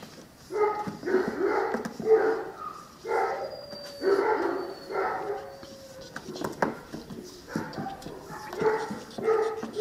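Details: Litter of nine-week-old Cane Corso puppies sired by champion Aquilla Dorata Belami out of Axa: strong harmonic yelps and whines in clustered bursts roughly every second, pausing briefly midway, with a faint high whistle-like tone and light clatter.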